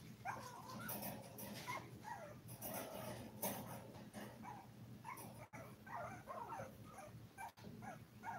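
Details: Five-week-old toy poodle puppies, seven in the litter and filmed live indoors, make a busy chorus of overlapping squeals and short yelps. The cries are nearly continuous, with brief pauses and some scuffling in between.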